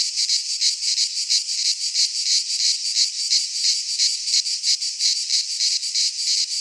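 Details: Greek pine-forest cicadas in midsummer produce a shrill, sizzling buzz that swells and dips in fast, fairly even pulses about three times a second, continuous across the whole stretch.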